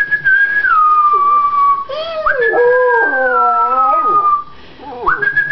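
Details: Rottweiler howling at full voice: a sustained falling tone with strong layered overtones that waver and drop, then a brief break and a rising renewed howl.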